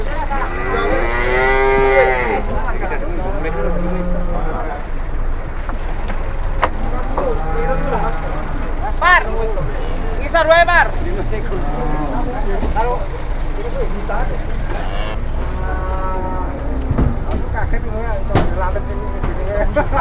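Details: Several cattle from two arriving trucks in Indonesia, including a jumbo one, moo repeatedly: a loud opening bellow, shorter lowing calls in between and another long moo later, over steady engine noise.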